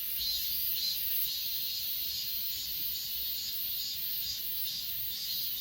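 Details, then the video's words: Steady high-pitched insect trilling from the grass of Achasan mountain, filmed on an S20 Ultra, softly pulsing about twice a second beneath an even higher constant hiss, with no other sounds standing out. "아차산 풀벌레소리"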